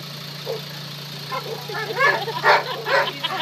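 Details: New British Labrador puppy, a female, settling into her new home, gives a quick burst of rising-and-falling squealing yips packed into the last two seconds, with a constant low hum underneath.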